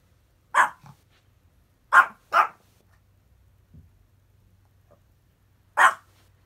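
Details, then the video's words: Chihuahua keeping watch while lying lazily in bed, barking at the unfamiliar sound of road construction; four sharp barks, two close together, then a pause before a last bark, low hum underneath. "とりあえず寝ながら警備する犬 チワワ"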